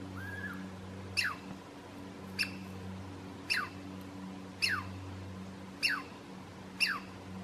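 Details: A Douglas squirrel (Tamiasciurus douglasii), on a hiking trail to Stump Lake in Alice Lake Provincial Park, gives sharp, downward-sweeping alarm chirps, repeated about every second.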